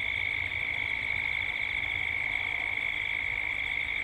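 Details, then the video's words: Gippsland cicadas at dusk in Australia. A loud, constant, high buzzing drone with a rapid, regular pulse fills the short stretch, set over faint low background noise. "Cicadas at dusk"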